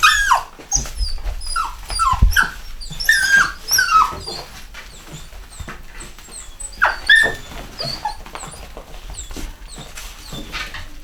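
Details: Whimpering from a 2015 UK litter of chocolate Cockapoo puppies, Cocker Spaniel x Poodle: falling whines and high squeaks come in clusters, then fade to softer scattered peeps in a small room.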